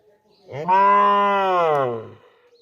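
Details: A village cow gives one loud, drawn-out moo of about one and a half seconds, a steady harmonic-rich tone that swells quickly, holds level, then sinks lower at the end, with no other sounds around it.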